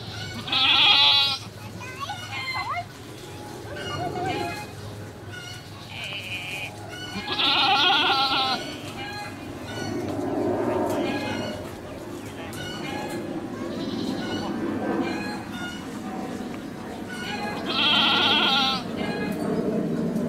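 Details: Birth of a baby goat at a cow farm; loud, high-pitched bleats burst out three times, spaced several seconds apart, with human voices talking between and under them.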